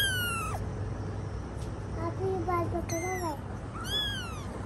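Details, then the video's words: Mother cat caring for her kittens: clear harmonic mews, a first high one sliding down, then a cluster of lower wavering calls, and a final rising-then-falling mew over a steady low indoor hum. "Cat caring her babies"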